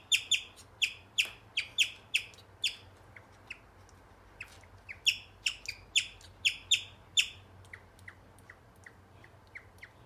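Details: A male guinea pig chirps in rapid, high, bird-like bursts, repeated several times a second.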